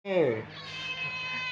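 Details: Hungry cat being fed: one loud, clear meow that rises and then falls, followed by a fainter drawn-out tonal tail in a small indoor space.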